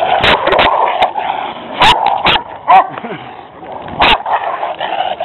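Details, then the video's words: Dogs during a walk in which a leashed pet Rottweiler is confronted by two stray aggressive dogs: short harsh barks burst out roughly every second or two, mixed with tense human voices calling out commands. "PET ROTTWEILER ATTACKED BY AGRESSIVE DOGS"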